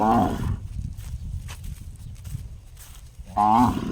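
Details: Cow giving an unusual gong-like call: a short, ringing, harmonic-rich note at the start and another at the end, separated by about three seconds of low rumbling background noise.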